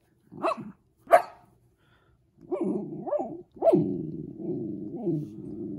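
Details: Jayden, a four-month-old Shetland Sheepdog puppy kept at home, gives two sharp high yelping barks, then a run of whiny, rising-and-falling vocalizations that trail into a longer drawn-out whine.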